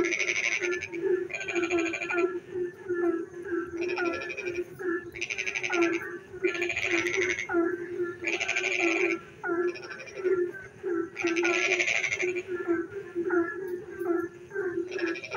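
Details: Several frogs calling together in rainy darkness: continuous quick low croaks under recurring loud, grating trill bursts lasting about a second each, alternating and overlapping across the chorus.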